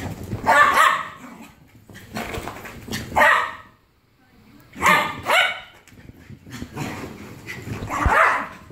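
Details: Jack Russell Terrier barking in harsh, loud bursts, several barks grouped in clusters with a brief silence near the middle, faint speech in the background.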